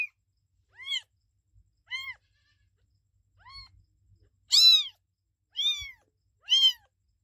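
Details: Kitten meowing: six short, high, arched mews, each rising then falling, spaced about a second apart, the last three louder and brighter; faint low knocks between calls, otherwise quiet.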